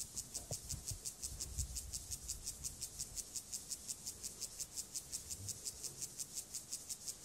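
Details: Stridulation of the acridine grasshopper Gomphocerus sibiricus, filmed for its sexual behaviour: rapid, even series of sharp rasping pulses, nearly three each second, with soft low thumps and handling noise underneath.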